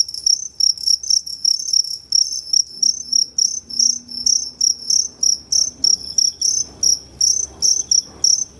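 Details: Two-spotted crickets at Tama Zoo on 29 September 2015, producing different types of calls: steady high, clear chirps pulsing about twice a second, each a short trilled burst, with a faint low hum underneath.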